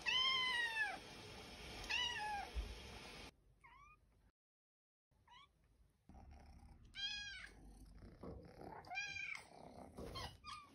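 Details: Trouble Cat, a domestic cat, gives a compilation of clear meows: two rising-falling mews, a pair of soft thin chirps after a silent gap, then two louder drawn-out meows, with faint room background.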